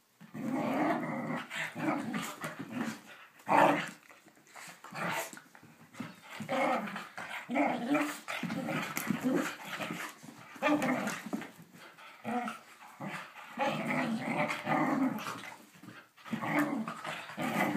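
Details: Playful Whippet giving repeated throaty growls in irregular bursts, some louder and sharper, with brief pauses between; occasional human voice in the background.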